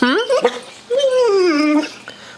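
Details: Mastiff, asked to speak when hungry as the food bowls are gathered, answers with a high-pitched yelping whine that rises, then a drawn-out tone that slowly falls over about a second, with the owner talking.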